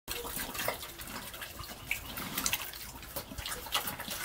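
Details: Pig eating slop: wet, irregular slurping, smacking and splashing sounds, like liquid being churned, with sharper clicks and splashes scattered throughout.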